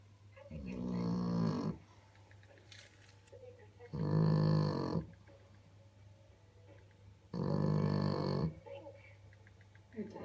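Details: A French Bulldog snores loudly in deep, rasping rumbles, one long breath every three to four seconds, while sleeping.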